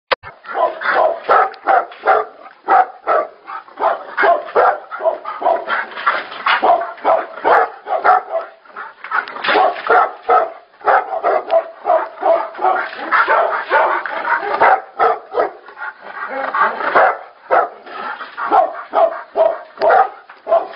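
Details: Tibetan Mastiffs fighting: dense, rapid, rough barks and snarls overlapping almost without pause, more than two per second, irregular and harsh throughout.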